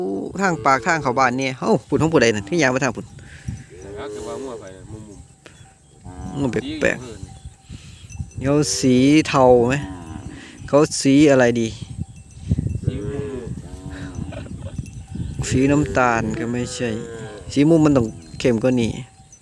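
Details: Calves that cannot find their mothers cry in a loud chorus: bursts of wavering, harmonic bawls come in clusters, fading between them, then rising again, repeated over nearly twenty seconds.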